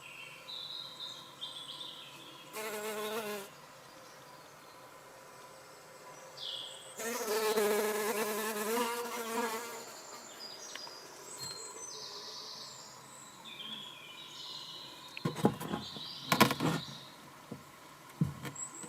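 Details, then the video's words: Drone fly, Eristalis tenax, while laying eggs: two bursts of low droning wing buzz with stacked harmonics, a short one near the start and a longer three-second hum midway, with faint high chirps and clicks between and after. "Egg laying Drone fly - Eristalis tenax"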